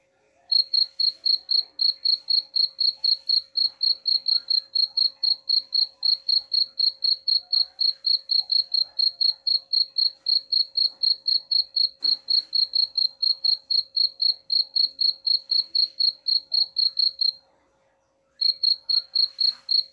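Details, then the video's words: High, pure cricket chirping meant to repel rats, a long even train of pulses about four each second, interrupted once by a short silence near the end, with a faint hum throughout. "suara jangkrik pengusir tikus ampuh"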